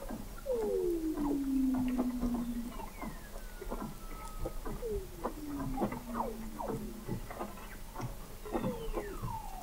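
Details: Under Antarctic sea ice in McMurdo Sound, November 2017, Weddell seals call 21 m below the ice at an oceanographic observatory. Loud, drawn-out whistles sweep smoothly downward, one after another, with fainter descending tones and rapid clicks behind.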